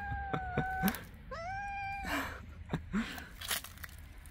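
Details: Street mother cat meowing as she leads toward her hidden kittens; two clear harmonic meows, the first flat and drawn out, the second rising then level, with soft thumps and rustling between.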